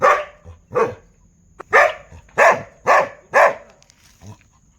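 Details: Dogs barking in a quick series of about five strong, raspy barks roughly half a second apart, bracketed by quieter, lower woofs at the start and end.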